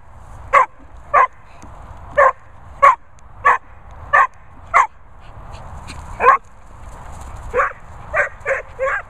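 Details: Vizsla named Maggie, a vocal dog, giving a series of short yelping, whining calls about every half second to second, some rising and moaning toward the end; faint room noise.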